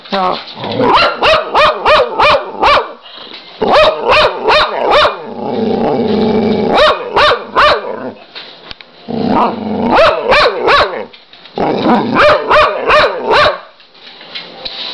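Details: Excited pet dog barking in rapid bursts of several quick, sharp barks each, broken by brief pauses and a longer stretch of lower growl-like sound, while a person chats to it.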